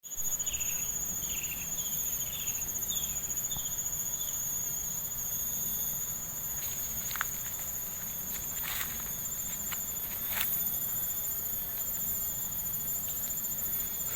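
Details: Heard on a village walk, a steady, high-pitched insect chorus rings without pause, a shrill shimmering drone on several pitches.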